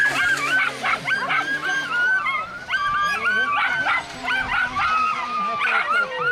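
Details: Whippets at a 295 m race on 22 May 2011, excited before or during the run: many dogs give overlapping high, wavering whines and sharp yelps that rise and fall continuously, with a person calling out.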